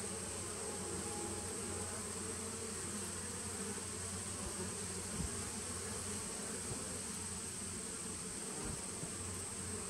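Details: A small honey bee colony, a 2017 nuc, humming on 19 September 2018: an unbroken, rough low drone with a deep rumbling undertone and a steady thin high tone above, one brief thump midway.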